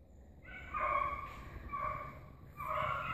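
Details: Pack of hunting dogs chasing an agouti: three drawn-out, harmonic yelping bays in quick succession, each about half a second long, over faint background rustle.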